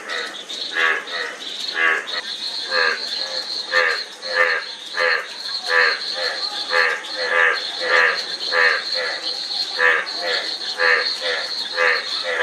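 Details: Frogs calling in a dense chorus: overlapping short, twangy croaks tumble on nearly twice per second, with a constant shrill insect hum above and a softer, higher whine.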